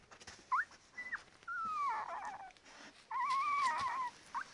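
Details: Labrador Retriever puppies, ten days old, whining: short high yelps followed by long wavering, quavering whines that dip and rise, with faint rustling in between.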